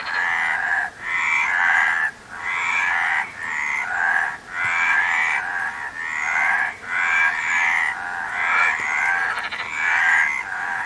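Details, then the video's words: A frog chorus of harsh, trilled croaks repeated in steady bursts about a second long, each separated by a brief near-silence, many voices layered over one another. "Frog Sound"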